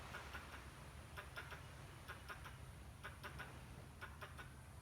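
A squirrel gives short, sharp chipping notes in quick bursts over a low background rumble.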